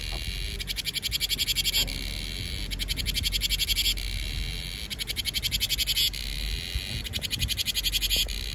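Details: Cicadas singing to herald summer in Vietnam, a shrill high buzz broken into repeated rattling pulse trains about every two seconds, alternating with a smoother continuous drone.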